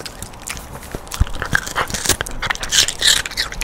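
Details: Pet dog Rando chewing sweet pear, its twice-weekly snack: rapid crunching and juicy mouth sounds, roughly three bites a second, uneven in rhythm, recorded up close with no other sounds.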